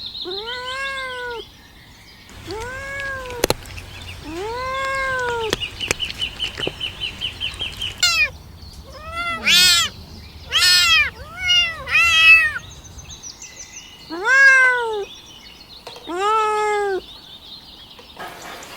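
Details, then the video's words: Kittens asking for their mother's milk while crawling about, with clear, evenly spaced arched mews, a burst of rapid overlapping squeaky cries in the middle, and a few slow, plaintive mews at the end. "Kittens asking for mothers milk"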